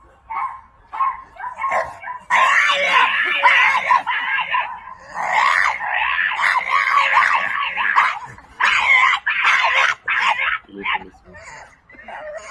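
A French Bulldog makes strange, squealing, yodel-like vocal bursts, rising and falling in uneven runs.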